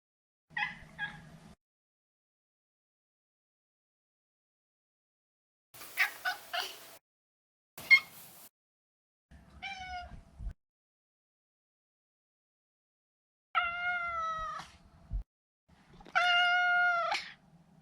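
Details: Pet Maine Coon Maro, a neutered male born 2014, gives a string of short chirps and clipped meows, then two longer, wavering harmonic meows near the end, with a low hum and bursts of noise between calls.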